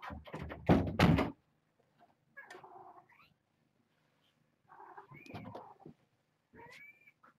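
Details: Domestic cat, a senior female surrendered to a shelter and now on chalky-tasting medicine for coccidia, squawks her displeasure after being dosed. Several short, strained, harmonic cries come after loud thumps at the start, with quiet pauses between.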